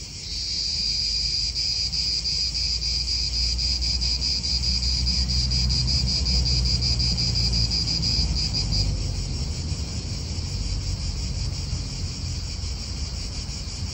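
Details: Loud cicada song in an Italian park, a bright continuous buzz with a rapid regular pulse that eases slightly after about eight seconds, over soft wind and a distant traffic hum.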